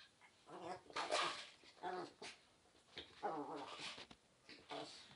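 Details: Pomeranian spitz dog 'talking': a run of drawn-out, wavering, harmonic whines and yowls rising and falling in pitch, several voiced bursts over five seconds with short pauses, speech-like in rhythm.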